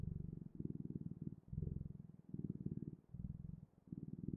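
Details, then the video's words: A cat's purr, soft and low, rumbling in short alternating inhale and exhale phrases about every half second, recorded close in quiet surroundings. "Purring Clouds: The Best, Ultimate, and Magical Sounds of Cat's Purring"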